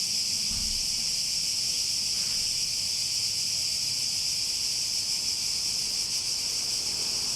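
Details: Continuous cicada drone, high and sizzling, without pauses or rhythm changes; a soft low thump near the start and a faint background rumble.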